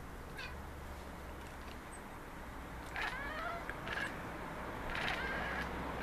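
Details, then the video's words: Pet Maine Coon trio chattering toward city birds; repeated rapid stuttering chirps from three seconds onward, several quick bursts in succession over a steady low hum. "Cute Maine Coons chattering at city birds"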